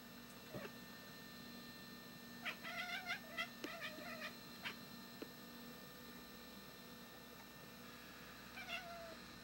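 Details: Pet cat that learned to bark from a dog, watching over the yard and trying to scare a bird away; short clipped chirping barks in a quick burst around mid-clip, a few more near the end, over steady background hum.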